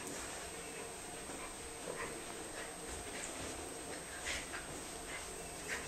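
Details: Female Norfolk terrier indoors playing with her best friend Jackson, another dog; soft, brief whimpering yips at intervals, the clearest near the end, over a steady background hiss and a constant high-pitched tone.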